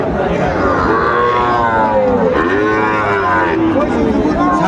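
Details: Sahiwal bull calves at a Chapainawabganj cattle market in Bangladesh, among a collection of ten, low with several short moos over dense crowd chatter and a man's voice naming prices.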